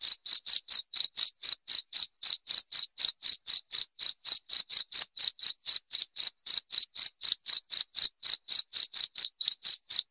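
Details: Cricket chirping, presented as a rat-repelling sound. Loud, high-pitched pulses repeat steadily about four per second throughout, with a clean, quiet background.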